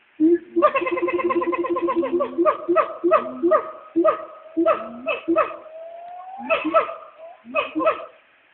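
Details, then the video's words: Two black siamangs at the Nashville Zoo calling to each other from the trees around noon, recorded on an old phone: rapid rhythmic hoots and barks in a steady burst, then spaced loud yelps with a rising tone near the end. "Black Siamangs calling to each other at the Nashville Zoo"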